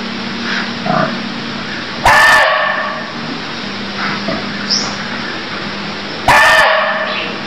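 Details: Cambodian barking deer: two loud, abrupt, harsh calls about four seconds apart, each briefly rasping, set against continuous hiss and a low hum with faint chirps between.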